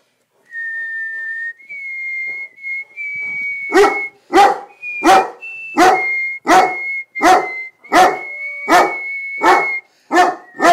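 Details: Newfoundland dog singing along while a person whistles O Canada: the whistled tune opens alone, then the dog joins with short, harmonic howling yelps about every half second beneath the continuing whistled melody.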